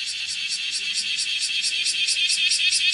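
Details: Kumazemi bear cicada (Cryptotympana facialis) on a room's window screen, 31 July 2018 at 10:03, shrilling while walking; loud high rasping buzz beating in quick rhythmic pulses that grow slightly stronger.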